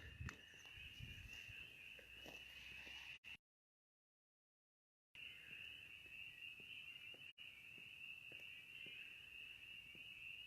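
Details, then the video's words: A dense chorus of spring peepers at an old dam on March 22: high, piercing peeps blending into a steady shrill ring. The peepers were reported very loud on recent nights, and a duck is briefly heard. "You can hear the peepers. Who can hear the peepers? Oh, I love peepers."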